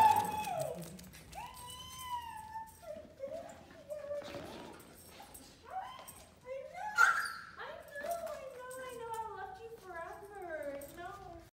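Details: An Alaskan Malamute named Tundra greets its owners at a reunion with wavering, whining howls and yips that rise and fall.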